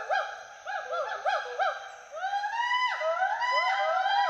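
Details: At Hollongapar Gibbon Sanctuary in Assam, two playful Western hoolock gibbons in the trees give quick arched hoots, several per second, which shift into long, rising, sliding whoops.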